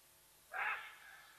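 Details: Side-striped jackal in South Africa's Sabi Sands Reserve at Nkorho, betraying the presence of Watika the leopardess with a single abrupt, hoarse bark-like yelp, harmonically rich and quickly fading, against low steady background hiss.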